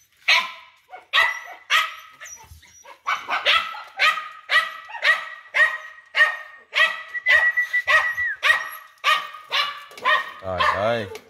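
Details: Dog barks rapidly and regularly, nearly two barks a second, closing with a wavering yelp.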